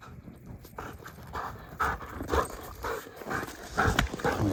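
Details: Raya, a 1.5-year-old female German Shepherd obsessed with sticks, panting hard outdoors during stick play on a hill walk; breathy broadband puffs repeat unevenly, about two per second, with faint rustling between them.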